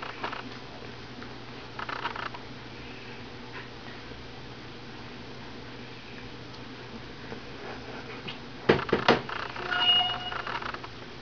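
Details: AKC standard poodle puppies, 22 days old, indoors: a long stretch of soft shuffling, then a few sharp knocks followed by thin, high-pitched squeaks and brief whines toward the end.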